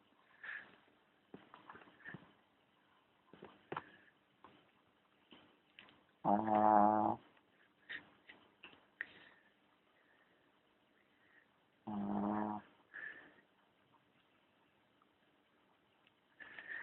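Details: Charlie the dog snores in two loud, rough, low-pitched bursts roughly six seconds apart, each about a second long, among light clicks and soft shuffling noises.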